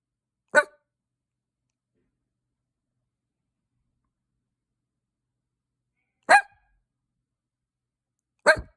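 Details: Three clipped, hiccup-like barks from a pet dog, the first alone and the last two about two seconds apart, with silence in between.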